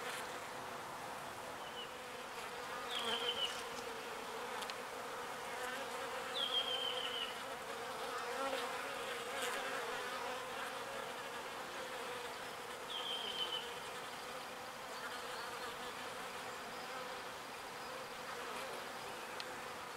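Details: Foraging bees collecting pollen and bringing it back to the hive; a soft, constant hum of wings fills the recording, while three short, high, falling chirps of a bird come near three, six and thirteen seconds.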